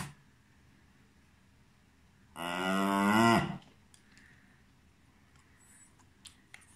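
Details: Cairn Terrier giving a single loud, drawn-out moaning whine of about one second in a quiet room, followed by a few faint clicks.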